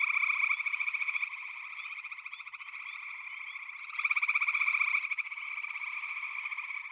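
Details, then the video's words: Backwater chorus of frogs, among them pig frogs and water frogs, a continuous rapid pulsing trill with a strong surge near four seconds, many callers overlapping without pause. "FROGS - Pig Frogs, Water Frogs, Backwater Chorus, & Frog Chorus"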